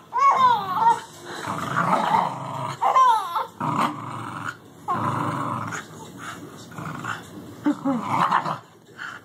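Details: A Welsh Terrier puppy growls in play beside a four-month-old baby. Harsh, rumbling growls come in separate bursts roughly every one to two seconds, and the baby's bright squeals and giggles slide up and down between them.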